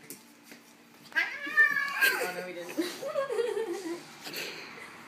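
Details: Male house cat indoors reacting badly to a hair clip on its tail: a long drawn-out wailing meow that rises then slowly falls, followed by a shorter cry, with people talking and laughing.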